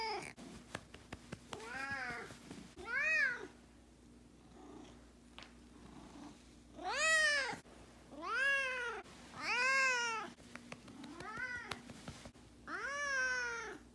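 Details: Miho, a domestic cat about two years old, angry or sulking after its owner works late or stays out overnight, gives a series of loud wailing meows that rise and fall like a siren, about seven calls with short pauses between them, indoors in a small room.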